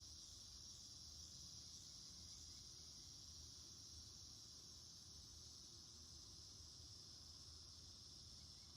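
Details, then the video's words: Cicada chorus in a garden on August 9, 2026, calling throughout the day: a steady, high, hissing drone that holds unbroken for the whole stretch, over a low rumbling hum in the background. "cicada chorus in full swing"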